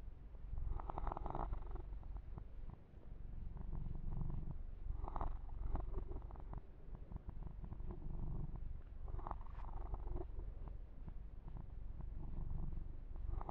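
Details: Kitten named Yumak purring steadily and low while being massaged and groomed, the deep rumble continuous throughout, with soft rubbing and brushing noises of hands on fur rising in bursts every few seconds.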